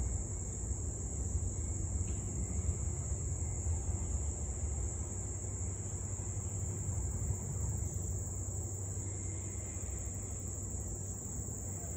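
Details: Steady low outdoor rumble like distant traffic, with a faint high hum and no clear barking or howling.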